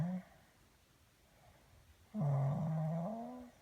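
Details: Pat, a pet dog, gives a low, droning moan of about a second and a half that holds steady and then rises slightly at the end. A woman's voice asks about its throat just before.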